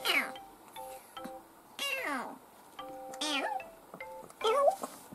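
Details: Dufy, a pet kitten between two and ten months old, recorded from June 2018 to February 2019, gives four drawn-out meows that slide downward in pitch. Soft background music with steady tones plays between the calls.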